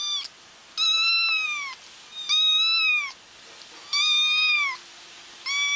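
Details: Crying kittens, audio used to lure a feral mother cat into a trap. Long, drawn-out mews of about a second each, rising then falling in pitch, repeated roughly every one and a half seconds, loud and clear.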